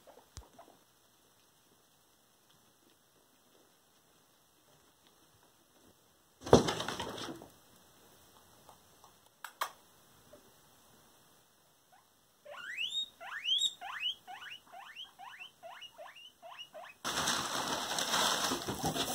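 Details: Pet guinea pig caught bullying another guinea pig: a run of about a dozen sharp, high squeaks, each sweeping steeply downward, in quick succession. Quiet stretches are broken by loud bursts of rustling or handling noise.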